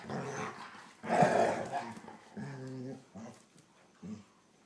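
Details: Younger German Shorthaired Pointer Copper pestering the older Zoie indoors; a rough growl burst, then a clear harmonic whine and two brief yips trailing off.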